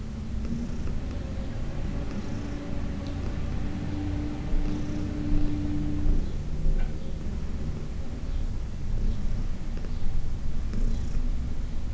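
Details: Purring of Heidi, an elderly shelter-adopted cat from the Humane Society of New York City, while being massaged in June 2021: a continuous deep rumble, with a steady tonal hum in the middle and faint clicks.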